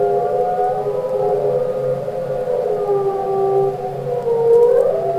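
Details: Underwater humpback whale song from Capitol Records ST-620: layered, sustained moaning tones that drift slowly in pitch, with a steady low hum beneath and a final rising whine.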